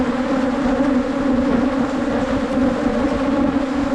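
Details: Steady low humming from a colony of wild Asian honey bees, located during a 2022 Thai honey hunt. The buzz stays even and unbroken for the whole stretch, rising and falling only slightly in loudness.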